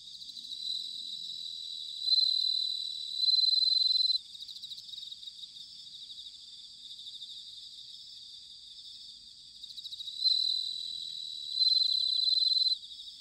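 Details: Bell crickets singing in autumn, recorded in Sanuki, Chiba Prefecture, Japan: clear high ringing trills that swell into loud sustained bursts around two and ten seconds, over a steady shimmering chorus of other insects.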